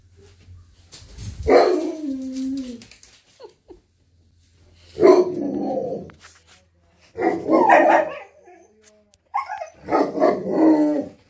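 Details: Siberian Husky Monroe, indoors on the kitchen counters, vocalizing at a squirrel seen through the kitchen window: four drawn-out, wavering howling barks spaced about two to three seconds apart, with a low hum between them.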